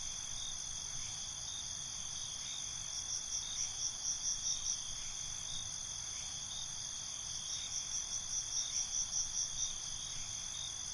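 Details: Night cricket chorus, continuous high-pitched ringing trills layered with bursts of rapid pulsed chirps around the third and eighth seconds, faint low background noise.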